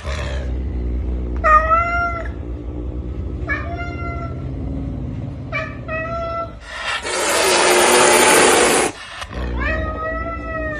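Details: Pumba the caracal hisses while eating, giving four short, wavering, nasal growl-whines a couple of seconds apart. They are followed by a loud, sustained, rushing hiss of about two seconds and one more whine.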